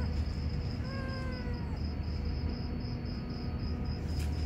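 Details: Kampung (village) domestic cats, two males acting as a courting pair, one giving a single drawn-out falling meow with clear harmonics, lasting about a second, over a steady low hum and faint background noise.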